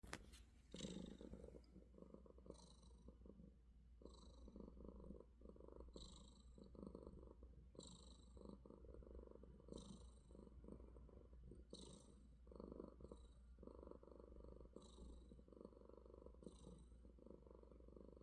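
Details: Affectionate domestic cat purring in the morning, indoors: a steady low rumble pulsing in breathing cycles roughly every one to one and a half seconds, with brief hissing inhale-like bursts between, no other clear sounds.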